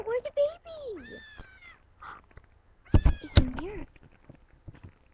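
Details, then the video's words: Female house cat calling while looking for kittens: a string of gliding, wavering meows with rich harmonics, some falling and rising, with sharp knocks and handling noises indoors. "cat looking for kitten"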